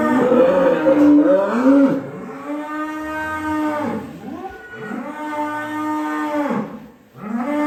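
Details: Large cattle (sapi lemu) in Indonesia, described as a rare monster cow chasing people: loud, drawn-out harmonic moos, one after another with brief dips between, the second and third long and steady before falling away.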